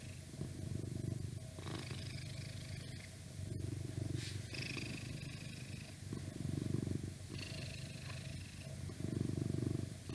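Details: Domestic cat, a twelve-year-old male kept indoors, purring close up while lying down: a low continuous rumble in long bursts of about two seconds, separated by brief pauses for breath, with faint background hiss.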